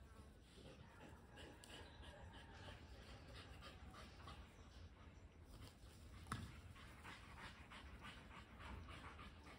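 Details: Rapid, even panting from a pair of dogs, a Kelpie cross and a Border Collie, out chasing a tennis ball; airy breaths pulse continuously, one brief sharp knock near the end, low rumble beneath.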